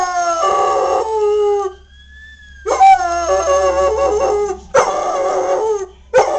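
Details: Pet dog Samson answering the sirens of fire trucks passing at night with a run of rich, wavering howls broken by short gaps, while a faint siren tone rises and falls between them.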